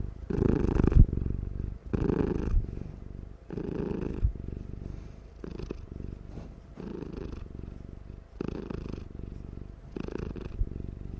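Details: Loud, nonstop purring from a drowsy house cat while it dozes: low, rough vibrating bursts repeating about every one and a half to two seconds, strongest early on, then softening slightly.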